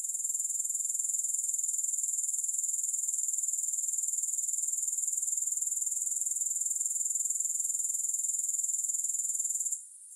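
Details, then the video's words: Unbroken shrill pulsing buzz of grasshoppers, no music, holding a constant high pitch and loudness for nearly ten seconds before cutting out abruptly in the final moment. "Grass Hopper Sounds"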